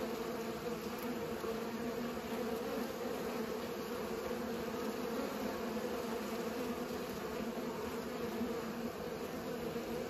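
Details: Bees pollinating, giving a continuous low buzzing hum with steady layered tones that never break or fade across the whole stretch, a dense even drone without other clear sounds.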